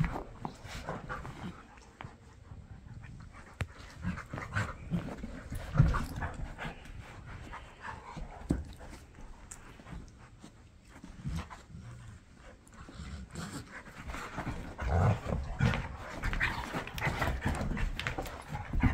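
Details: Two dogs, a Bernese mountain dog and its Aussie poodle husky mutt companion, wrestling in play on a Monday morning: steady low scuffling and panting, with louder rough bursts of grappling around six seconds and fifteen to eighteen seconds.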